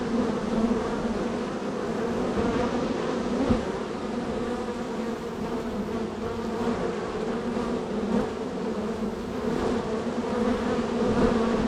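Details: Honey bees at hive number 3 in a row of hives, extremely active on the day, with entries and departures: a dense, steady hum with bright bands layered around it, swelling slightly in places and never breaking.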